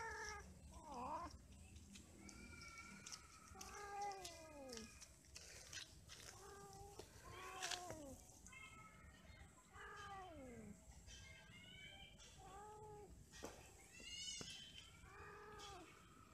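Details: Several domestic cats mating and quarrelling: drawn-out wavering yowls and harmonic meows rising and falling, overlapping one another in bursts across the stretch, with a low steady background hum.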